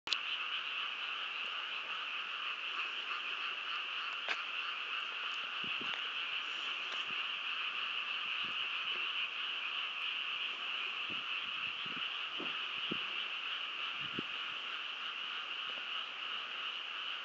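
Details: Frog chorus at Shiodadaira, the 'Kamakura of Shinshu' in Nagano, Japan: a dense, continuous wall of overlapping croaks forming steady bands of sound, with occasional faint low knocks and ticks beneath.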